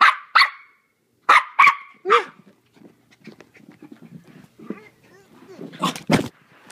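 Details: Playful four-month-old Maltese puppy named Timothy lets out a few high, sharp yaps early on, then softer scuffling and low grumbly noises, ending with two loud bursts.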